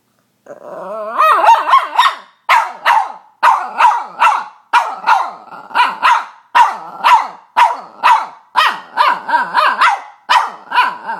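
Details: Female Boston Terrier pet dog making odd noises: a run of short, harmonically rich barks mixed with wavering, squealing whines, bursts coming roughly twice a second with brief gaps between them.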